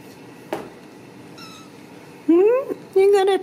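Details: Ragdoll kittens from a home cattery in central Kansas, indoors behind a fence and wanting out. After a quiet room and a soft tap, two loud meows follow: a rising, bending cry, then a steadier drawn-out one. A woman talks to the cat nearby.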